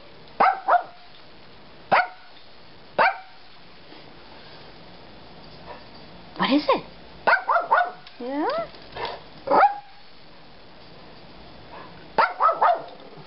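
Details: Jorja, a pet dog frisky in the morning, gives short sharp barks, single and in quick pairs or triplets, at irregular gaps, with a few drawn-out whiny yelps in the middle and a person talking in between.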